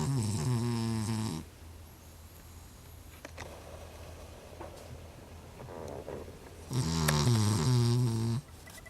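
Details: A Cavalier King Charles Spaniel that always snores gives unusually loud snoring, long, rattling, low-pitched breaths with quiet pauses between.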